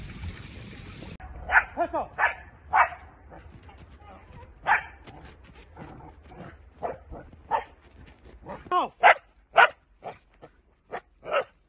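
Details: Dutch Shepherd in training, giving scattered sharp barks and yips between stretches of quiet, with a burst of noise at the start and a faint human voice in the background.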